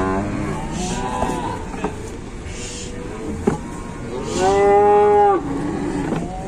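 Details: Collapsed cow during a rescue in Indonesia, with faint, short lowing early, then one clear, strained moo of about a second near the end over steady background noise.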